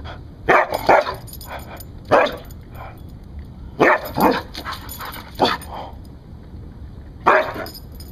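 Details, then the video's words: Rescued Siberian Husky barking as a guard dog, giving single and doubled sharp barks at irregular intervals of one to two seconds, each bark bright and harsh, with low background hum in between. "Husky Rescue - Bark Guinness Bark"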